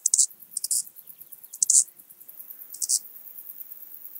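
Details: Eastern banded grasshopper (Arcyptera microptera) at Zalahalap, Hungary, on 18 July 2022: short bursts of high, dry rasping stridulation in uneven groups, with quieter ticking between them.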